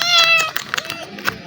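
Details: Black kitten, seemingly very hungry, recognizing a person it befriended a day earlier: one clear, drawn-out high meow with a falling end, followed by soft clicks and rustling.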